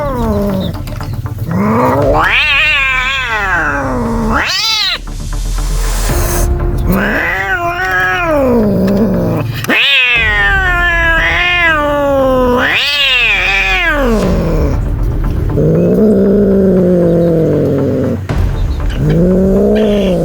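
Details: Frightened street cats making loud, drawn-out yowls that rise and fall in wavering pitch, several long howls overlapping one another, with short gaps and some background rumble.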